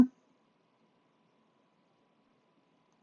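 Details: A brief thump opens near-silence with a faint steady indoor hum.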